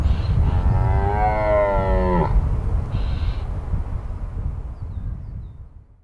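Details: A red deer stag gives a single deep, drawn-out bellow of the rut over low wind rumble, recorded in 2023 in the Massif de l'Aigoual.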